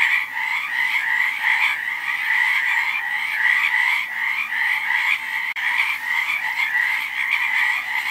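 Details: Many frogs croak at once, their fast, rattling pulses merging into a continuous buzzing drone that holds an even level throughout, interrupted only by a sharp click midway.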